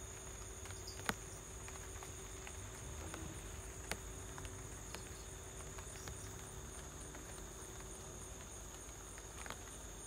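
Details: A cricket at home trills in high, steady pulses over the soft hiss and patter of light rain.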